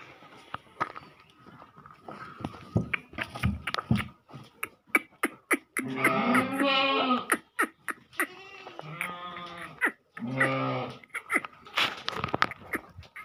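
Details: Goats bleating on a dairy farm: several loud, wavering harmonic bleats around the six to eleven second mark, each lasting about a second, amid scattered knocks, clatter and a steady background hum.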